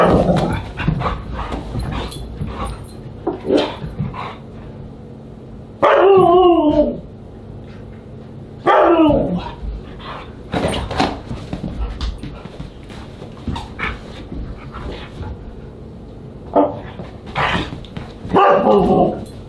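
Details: Siberian Huskies at a dinner party in July 2022, giving a mix of short barks, yips and a few drawn-out wavering howls that bend downward, with quieter chatter between bursts.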